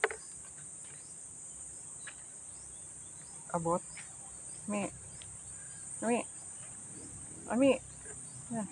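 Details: Very thirsty goat in the countryside on a hot day, giving four short, wavering, harmonic bleats spaced about one to one and a half seconds apart, over a steady high insect drone.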